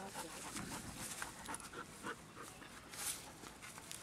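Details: Six-month-old Doberman puppy Merlin pants while playing ball in a wooded yard that is being cleared for grass. Quick breathy bursts come about three per second against soft outdoor background noise.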